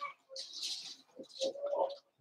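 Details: Daisy's four-week-old Cavalier King Charles Spaniel puppies in their indoor pen; overlapping high whiny squeals and a drawn-out tonal whine near the end, fairly steady throughout.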